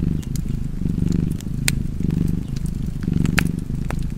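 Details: Low, continuous cat purr rising and falling in regular breath cycles, with bright snaps from a crackling fireplace popping through the rumble.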